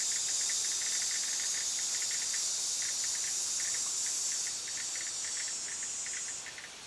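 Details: Cicada giving a loud, shrill buzzing drone that weakens slightly midway and then cuts off near the end, while rapid short chirps continue underneath.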